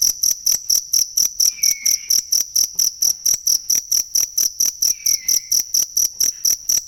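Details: Steady, shrill cricket chirping, meant for training songbirds, runs at about two pulses per second. Two faint, slurred bird whistles are heard in the distance.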